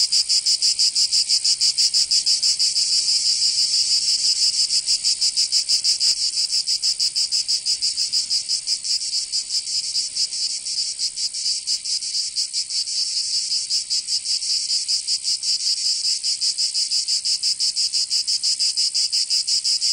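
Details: Cicadas singing on a summer day in Provence, southern France: a dense, unbroken high-pitched buzzing with fast pulsing, about three throbs per second, steady in loudness throughout, no other sounds.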